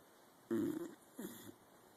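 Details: Helmer, a dog deep in sleep in a home office one morning, lets out a short, throaty snore followed by a softer, shorter rasp, then silence.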